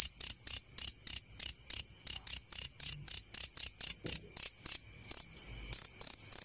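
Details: Cricket chirping, recorded clear for use as training song for songbirds and as a sleep aid; rapid bursts of high, pulsed trills repeated about three or four times per second, steady throughout with a brief pause near the end.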